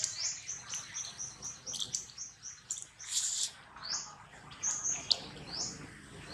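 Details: Baby monkey Rex being weaned from milk by his mother Rose, crying with shrill, high-pitched squeals repeated about twice a second in short arched bursts, with scattered clicks and rustling handling noise.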